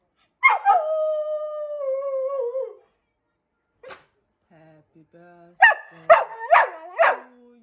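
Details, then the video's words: A Keeshond dog howling along while people sing happy birthday at its fourth birthday: a long wavering tonal howl sliding slowly downward for about two seconds, then short rising and falling howl notes mixed with singing voices. "howling keeshond"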